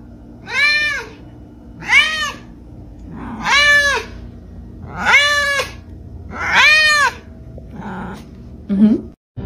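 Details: A pet cat in a funny talking cats compilation meows five times at a steady pace, about one call every 1.2 seconds. Each call is short, arched and harmonic, rising and then falling. A softer, clipped call follows, with a person's voice just after.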